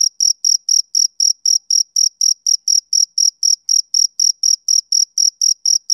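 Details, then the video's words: Male cricket chirping on a summer evening: short, high, shrill chirps repeated steadily about four times per second, each pulse clean and even, with no other animals or background sounds. "Cricket Chirping Sound Effect"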